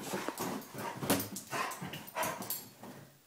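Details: Mako, a male vizsla, indoors and excited after an 8K run. He gives short whimpery bursts, a few faintly tonal, among scuffling and rustling noises in a small room.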